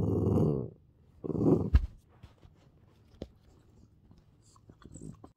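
A Boston Terrier makes two throaty, groaning vocal sounds, like a dog trying to talk.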